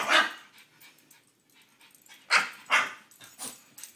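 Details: Pet French Bulldog worked up by a cow bell: a loud hoarse bark opens, then a quiet gap, then three quick raspy barks in close succession near the end.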